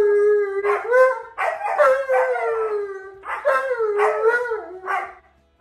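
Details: Male Alaskan Malamute demonstrating a wolf howl to a smart speaker: a sustained moaning tone, then rapid yodelling 'roo-roo' bursts and a long falling howl, ending in silence.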